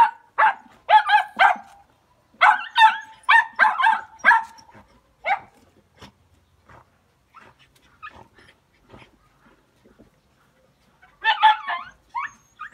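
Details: Jack Russell Terriers out hunting give bursts of sharp, harmonic barks in quick clusters, a volley near the start, another run mid-clip, then scattered faint yips before a final flurry of barking.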